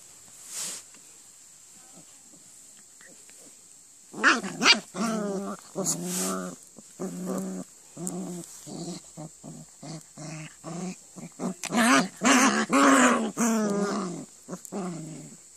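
A German Shepherd puppy whines and yelps in quick, wavering bursts after a few quiet seconds.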